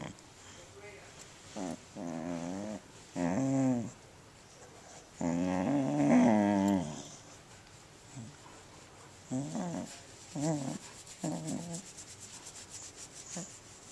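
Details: A corgi makes drawn-out, wavering groans and grumbles in short bursts, with quiet pauses between them, while enjoying a belly rub.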